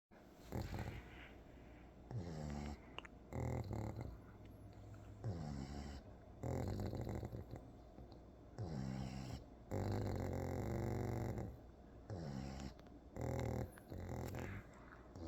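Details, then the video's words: A pug sleeping on its side indoors snores in low, rattling, harmonic-rich breaths, each lasting about a second, with short quiet gaps between them. "Pug sleeping on his side"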